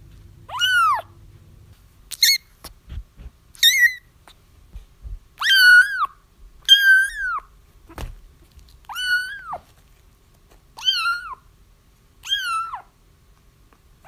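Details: Crying kittens, a recording meant to lure a feral mother into a trap; a run of about nine thin, arched mews, some clipped short, others drawn out and wavering, with quiet gaps and a few soft knocks between them.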